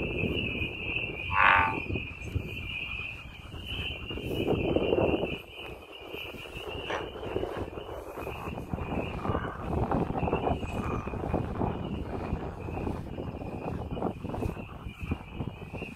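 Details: American bullfrog calling outdoors in nature: a low, droning croak swells around the middle, over a steady high insect-like buzz and rustling background noise throughout.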